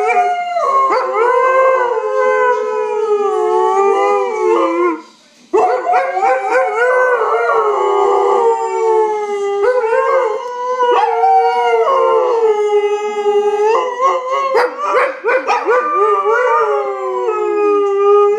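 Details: Siberian Huskies howl together in long, wavering, mid-pitched tones that glide up and down, breaking into yips and wobbles; after a brief pause near the start the overlapping chorus resumes and carries on.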